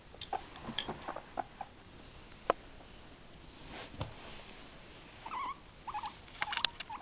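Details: A guinea pig running an obstacle course and failing to clear a hurdle gives a few brief, soft squeaks amid the light patter and scrabbling of small feet.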